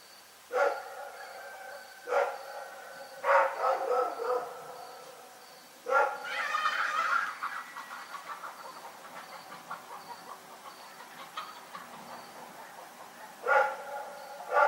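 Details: Night barking by Rex the dog in Pyrga. Single sharp barks are spaced a second or two apart, a quick run of several barks and a longer ragged burst follow, and one last bark comes near the end.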